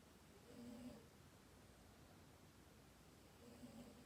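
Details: Dayako, a sleeping house cat, snores: two brief throaty rumbles roughly three seconds apart, low and slightly buzzy, separated by quiet indoor background hiss.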